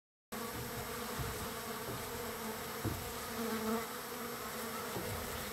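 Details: Many wild bees gathered on the third day of feeding; a dense, steady hum fills the clip with a constant tonal drone and occasional louder passes of individual bees.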